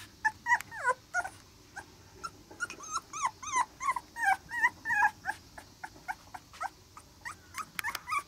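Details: Black Labrador Retriever puppy, toddling and newly started on weaning food at a breeder's, gives rapid high whimpers and short yips, rising and falling squeals several times a second in uneven bursts over a faint low background hum.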